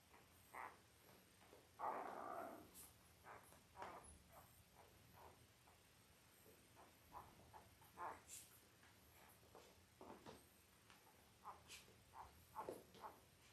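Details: Five-day-old Labrador Retriever puppies, eight littermates born October 15, 2023, on an indoor live camera; a brief whine followed by many short, scattered high peeps and squeaks throughout, with soft rustling.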